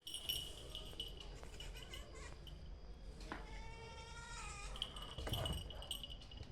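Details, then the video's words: Kitten making bizarre noises on seeing a lizard: sharp high chirps early on, then a drawn-out, tonal, wavering cry in the middle, with a person's voice and handling noise in the background. "Kitten makes Bizarre noises when itsees Lizard"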